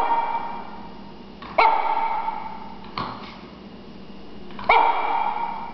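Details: Female Shih Tzu puppy, three and a half months old and about 4 lbs, barking indoors at play: three short, sharp, ringing yaps roughly one and a half seconds apart, each starting abruptly and fading fast, over a quiet room hum.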